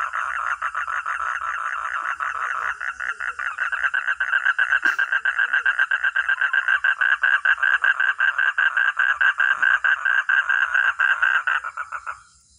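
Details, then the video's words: Frog or toad calling in a long chorus of fast raspy pulses that grows louder mid-way and then fades out at the end. "Real 🐸 sound katak atau kodok || frog or toad"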